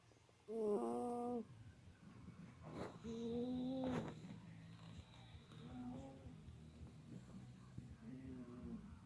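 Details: Sleeping Persian cat snoring, with huskies also asleep nearby; short nasal, whistle-like snore tones, each about a second long, recur roughly every two to three seconds over a soft background hiss.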